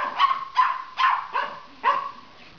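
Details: Silky Terrier and Papillon puppy barkfest: five clipped, high-pitched barks spaced roughly half a second apart, each short and bright with a slight tonal ring.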